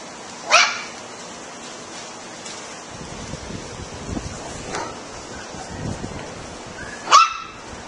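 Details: Puppies barking: two sharp, high yips about six and a half seconds apart, with soft rustling and low handling noise in between.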